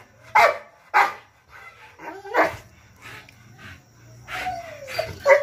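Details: A 14-month-old Rottweiler gives several deep, sharp barks with brief whining notes between them.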